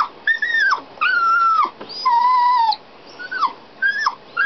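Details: Dog locked inside a canal boat while its owners were out working the locks and steering, crying in high whines: four drawn-out tonal cries, some falling at the end, separated by short gaps.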